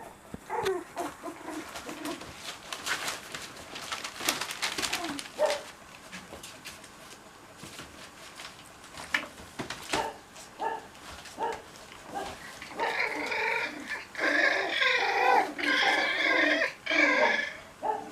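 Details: Cocker Spaniel puppies at playtime indoors: scattered soft whimpers and scuffling noises, then a burst of loud, high, harmonic whines and yelps repeated rapidly over the last five seconds.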